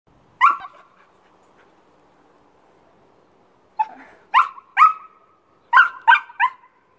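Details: Amy, an Old English Sheepdog, jumping and barking: one sharp bark, a pause of about three seconds, then a burst of six quick, ringing barks with echoing tails, in a quiet room.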